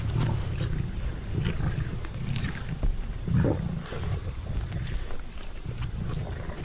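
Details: Asiatic lions of a pride living among farmland in India growl in deep, rumbling bursts while crowding onto a spotted deer kill, mothers making space for their cubs, with a thin steady high whine behind them.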